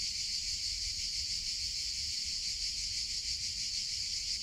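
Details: Cicadas in summer producing a constant shrill buzzing drone, high-pitched and finely pulsed, steady across the short stretch with only faint low background noise.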